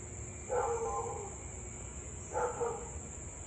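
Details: Husky barking and howling nonstop for about 30 minutes on a 2021 August evening: two mid-pitched, harmonic bark-howls roughly two seconds apart, each trailing off, with a persistent high whine and low background noise.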